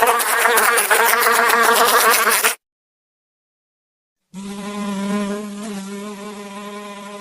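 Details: Fly buzzing: a loud, harsh, rattling burst for two and a half seconds, then nearly two seconds of silence, then a smoother, lower, steady hum that slowly softens.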